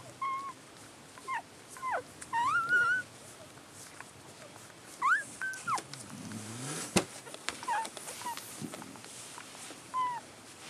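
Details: Collie puppies a few hours after birth, recorded 3 April 2012, give bursts of high, sliding squeaks and whimpers. Some sweep upward sharply and others fall. Quieter gaps, rustling and a low background hum come between the bursts.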